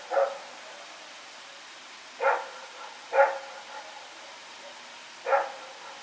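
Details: Rex the dog running around at night, recorded September 21, 2018: four sharp barks with gaps, two close together in the middle, over a steady quiet background hiss.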